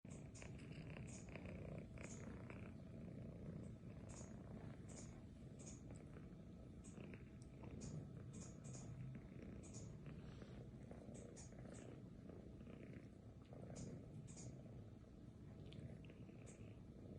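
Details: Domestic cat wearing a lion head mask, purring in a steady low continuous rumble for the whole stretch, with faint scattered clicks and rustles above it.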